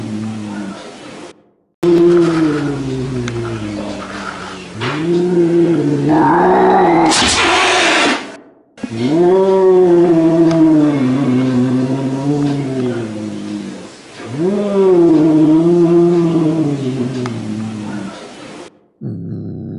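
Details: Domestic cat in an angry mood, repeating low, droning yowls that rise and fall like moans, with short cut-off gaps and a brief harsh hiss partway through.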